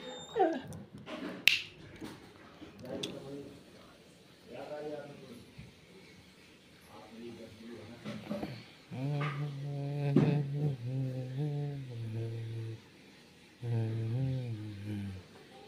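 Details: Puppy whimpering indoors with a series of short, wavering, nasal whines, some in quick runs and some held longer, while people talk in Hindi in the background.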